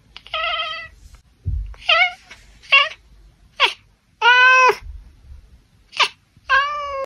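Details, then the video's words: An Oriental Shorthair tortie cat chirp-honks at birds, a run of short, nasal chirps and honking meows in half-second bursts repeated about every second, with brief quiet gaps. "cat chirp-honking at birds || ekekekkekkek"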